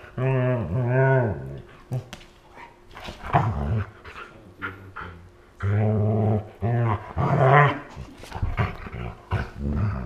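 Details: A Siberian husky growls and grumbles in low, rumbling bursts while play fighting with a Malamute, both lying on the floor, in August 2014.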